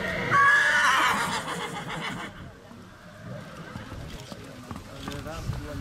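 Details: Tajlandka, a mare foaled in 2007 by Jape out of Tajlandia, at the autumn inspection at SK Krasne on 15 September 2017: one loud, shrill, wavering whinny near the start, then a man speaking Polish over outdoor background noise.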